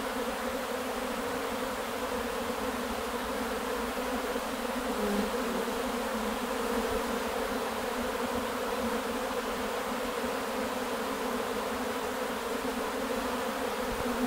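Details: Continuous humming of a Carpathian honey bee swarm that issued on 8 May 2020, a many-voiced low drone with slight swells in intensity, steady for the whole stretch.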